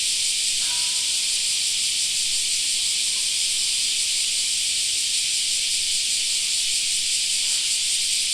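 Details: Summer park cicada chorus, a continuous high, buzzy wash of sound that holds a constant level, with two faint brief chirps from another source near the start and near the end.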